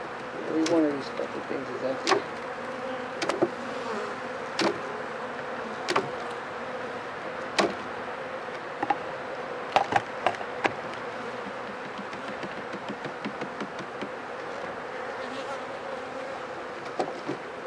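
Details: Honey bees at a hive being checked for sickness after four days of rain, with dead wet bees piled in front; a steady mid-pitched drone hums throughout, broken by sharp clicks and knocks of handling.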